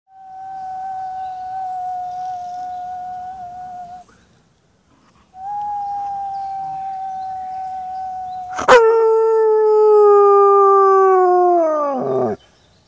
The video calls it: German shepherd dog howling like a wolf